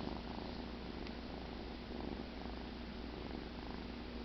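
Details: Cheddar the cat, dozing after the "kill", keeps up an even, low, rhythmic purr with one brief faint click early on.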